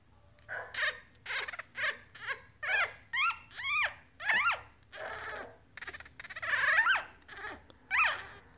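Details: One-week-old female Yorkshire Terrier puppy, teacup size, from a litter of three boys and one girl born 11/29/2018, gives a steady series of high, thin squeaking whimpers, each rising then falling, about fourteen over eight seconds.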